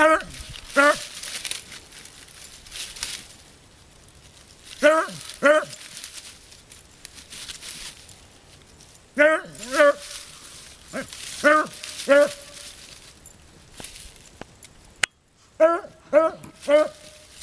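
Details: Bonnie, a 20-year-old beagle out hunting, gives harmonic, wavering bays in short pairs, repeating about every four seconds across the recording, with rustling, footsteps and a few outdoor noises between the calls.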